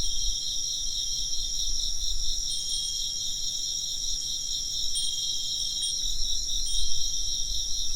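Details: Steady, shrill insect chirping forms a pulsing high chorus, with faint wind chime tinkles appearing a few times and low background rumble underneath.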